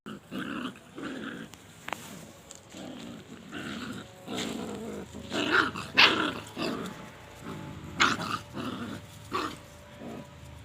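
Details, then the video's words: Puppies fighting, giving a rapid series of short growls and yelping barks in bursts, several per second, loudest around the middle and end, with some scuffling noise. "puppies fighting🐶|dog barking"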